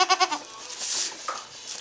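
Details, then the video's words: Three quick, tremulous bleats from a newborn Saanen/Alpine kid goat at a hobby farm birth in May 2012, followed by a soft rustle and quieter background. "Birth of Baby Goat"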